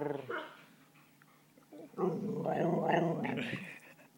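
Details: Pet dog giving its own version of a yodel: a wavering, drawn-out howl-like vocalisation with rising and falling pitch lasting about two seconds, preceded by short low grumbles.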